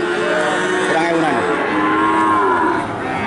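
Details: Cattle at the Jatirogo livestock market in Tuban, Indonesia, where cows are sold; a loud moo with harmonics that bend downward, over constant crowd murmur and a man's voice.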